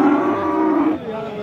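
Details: Friesian and crossbred heifer calves at Aftabganj cattle market, Nawabganj, Dinajpur, Rangpur division, Bangladesh, recorded Tuesday 3 December 2024; a steady, harmonic-rich moo holds for about a second, then drops into a fainter, slightly higher tone over market murmur.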